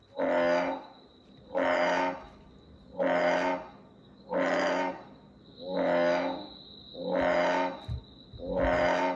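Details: An American bullfrog gives deep, resonant, twangy croaks, repeated roughly every one and a half seconds, heard as something like "bra".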